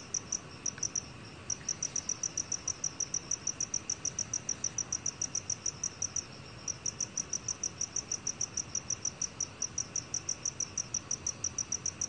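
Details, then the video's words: Black cricket recorded for Korea's National Institute of Biological Resources in 2020: high, sharp chirps repeated steadily at about three per second, with a couple of brief pauses, over faint low background hiss. "검은귀뚜라미, 여러번 듣기, 곤충소리"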